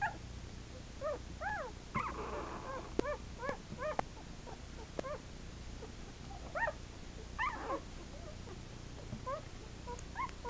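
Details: Eleven-day-old Shetland Sheepdog puppies, eyes still shut, wobbling about together; thin high squeaks and whimpers in rising-then-falling arcs, coming in irregular bursts of two or three, with soft rustling between.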